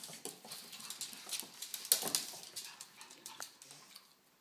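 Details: Pugs Dexter and Piper babysitting and playing with an infant make hissing, breathy pants and sniffs. A louder burst comes around the middle, then the puffs fade toward quiet.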